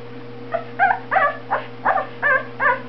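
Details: Two-week-old Boxer puppy giving a rapid series of thin, high whining squeaks, about seven short wavering cries in three seconds, over a steady low electrical hum.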